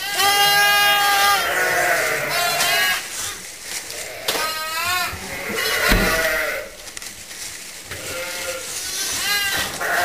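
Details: Orphaned lambs in a pet lamb pen, kept there to be watched and fed regularly. Bleats overlap throughout, some long and level and some quavering, from several lambs calling in turn, about seventy calls a minute.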